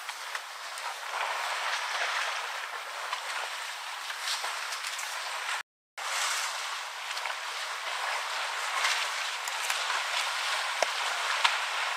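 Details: Steady broadband splashing and outdoor noise fill the recording, broken by a brief silent gap. No clear animal voice stands out.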